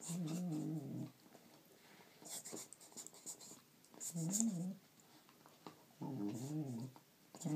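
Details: Holly, a pet Border Collie, making weird whining, yodel-like moans indoors while playing with her toy, which she always does; three wavering, warbling bursts of about a second each, separated by quiet gaps with faint rustling.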